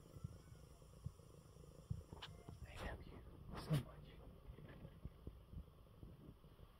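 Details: Coco, a male pet cat who is unwell, purring in his bed after eating well: a soft, low, steady rumble. A few faint rustles and a brief louder bump come near the middle.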